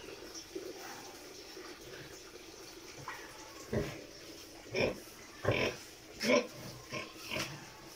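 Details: Domestic pig, a sow close to giving birth, making short broadband grunts and snorts about once every half second in the second half, with a quiet background hiss.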